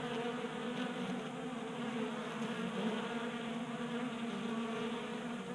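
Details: Honey bees gathered at a 3D printed bee feeder in a garage in Colorado on a 60-degree January day, producing a steady many-voiced buzz with brief louder passes of single bees.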